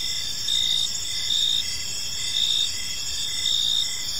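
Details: Park crickets at evening: several overlapping high-pitched trills ring continuously, while short louder chirp bursts stand out about once a second against a low muffled background.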